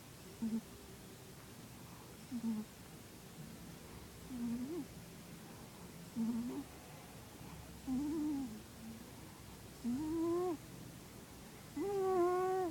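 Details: Sleeping cat Minos snoring indoors, a string of short, reedy, whistling breaths about every two seconds that become longer, louder and richer in overtones toward the end, set against faint room hum.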